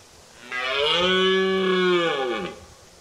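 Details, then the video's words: Single sustained roar of a male red deer in the October rut, a steady, hoarse, harmonic bellow of about two seconds that drops in pitch as it ends. "Red deer stag rut call, Red stag roaring"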